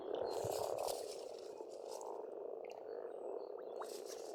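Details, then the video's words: Frogs croaking as a dense continuous chorus at a spring pond in Estonia, a steady low rattling churr with faint bird calls higher above. "Расслабляющее пение птиц и лягушек, весна, природа."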